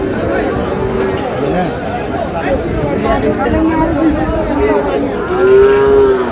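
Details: Sahiwal bull calves at a crowded cattle market in Cumilla, Bangladesh, on 27 March; a loud, drawn-out moo rises near the end over constant buyers' chatter and bargaining voices.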